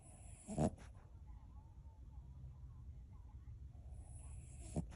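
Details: Male pet dog snoring while asleep and dreaming, perhaps chasing someone in his dream; soft low rumbling breaths under a quiet steady hum, broken by two short sharp snorts near the start and end.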